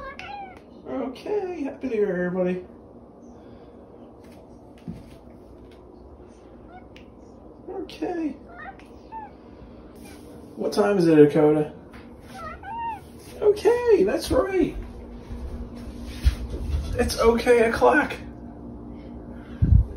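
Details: Talking house cat known as the OK Cat, a female whose meows sound like "okay": a string of arched, wavering meows, some drawn out and bending downward, separated by quiet pauses in a small room, with light human voice between.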